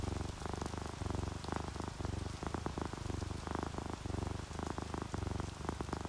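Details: Sleeping house cat, one of an orange tabby and calico pair, purring contentedly as rain drips past a window; deep throbbing purr phrases of about half a second alternate with brief pauses, under constant rain patter.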